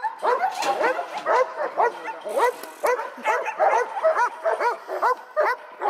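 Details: Echo, a young male dog seven months old in bitework training, gives a fast run of clipped, ringing barks, around two per second, some closely doubled.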